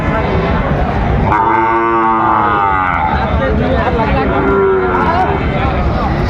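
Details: Sahiwal bull calf at a cattle market while a Dhaka farmer bargains over it, 15 December 2025; one low, drawn-out harmonic moo of about two seconds amid constant men's talk and crowd noise.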